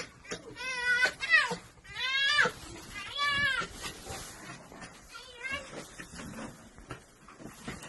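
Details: Red fox, happy after missing her wolf friend, giving loud, strained, harmonic whining cries in three long bursts in the first four seconds, then a shorter cry near five and a half seconds, with faint voices in the background.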